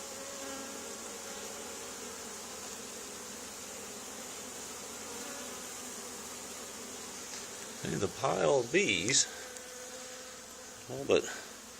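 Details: Honey bee swarm settled on the wall of an old barn, two days after another hive was cut out of it: a steady, droning hum with layered low tones, briefly joined near the end by a human voice.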